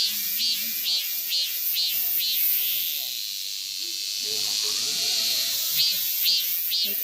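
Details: Male cicada singing close by at Daegu Arboretum along a red clay path, seen walking backwards: a high, hissing buzz pulsing about twice per second, then merging into a steady drone midway before the pulses return, with soft speech underneath.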